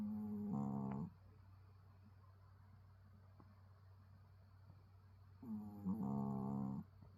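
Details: Pet dog snoring indoors, with a human-like sound; two long harmonic snore breaths about five seconds apart, low steady hum underneath in a small quiet room.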